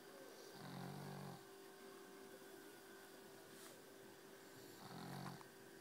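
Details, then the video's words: Very tired pet dog snoring: two deep, rasping breaths about four seconds apart, each rumbling low with a husky buzz, over a steady electrical hum in a quiet room. "My dog snores like a truck driver"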